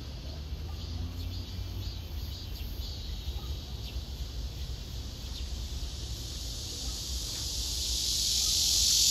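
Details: Male cicada singing a courtship serenade to a female below him, who backs away from him: a steady, dense high-pitched buzzing drone that grows louder toward the end, with a faint low rumble underneath.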